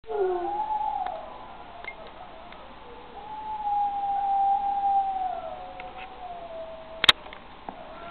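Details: Six-week-old wolfdog pup named Josiah howling: a thin, wavering high-pitched tone drawn out for several seconds, rising and falling gently, with a sharp click near the end and faint background hiss.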